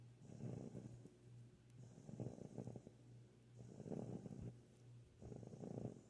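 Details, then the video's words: Rottweiler puppy, female, asleep and snoring while being held after coming over for attention; soft, rasping snores repeating roughly every one and a half seconds, with a faint steady hum in the background. "Snoring Rottweiler Puppy"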